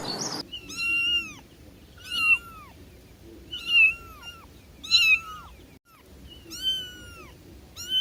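A kitten gives high, thin meows, each a short rising-then-falling cry repeated every second or so.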